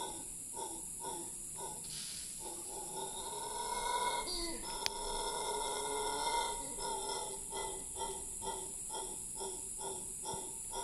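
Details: Howler monkey giving a long howl in Cahuita Park, Costa Rica: rhythmic, throaty pulses about twice a second that swell into a louder, rougher roar mid-way, then return to steady pulsing, over a constant high insect drone.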